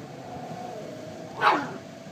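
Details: Chihuahua indoors, a small male dog who jumped off the bed and barks and cries to get back on; a single brief, thin yelp amid soft room noise after a woman's coaxing voice.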